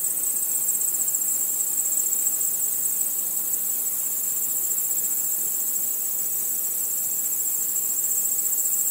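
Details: Crickets chirping at night under a starry sky, a dense unbroken chorus of high, finely pulsed trills holding one steady shrill pitch throughout, with no other clear sounds.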